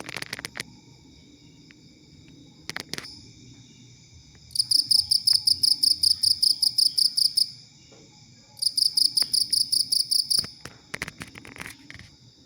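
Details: Cricket chirping, played as a master sound for training songbirds such as the oriental magpie-robin, green leafbird and common iora; two bursts of rapid, shrill, evenly pulsed chirps separated by pauses, with clicking noises at the start and end.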